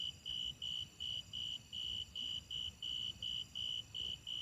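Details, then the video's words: Loud, clean, high-pitched grasshopper pulses, evenly spaced at roughly three per second, each a short steady tone, over quiet low-frequency background noise. "The sound of grasshoppers"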